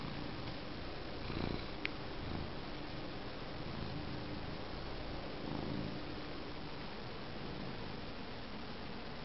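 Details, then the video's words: A cat named Sweetie Pie purring while showing its shaven tummy; a steady, low, continuous rumbling purr runs through the whole recording under a broad hiss, with one sharp faint click just before two seconds. "Sweetie Pie purring and showing shaven tummy"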